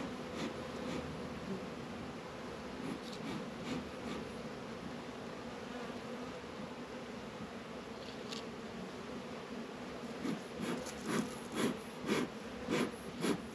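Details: Bees busy around Warre and Langstroth hives on a warm February day in northern Kentucky, 72 degrees. A steady low hum runs throughout, with sharp ticking clicks and louder pulses of buzzing toward the end.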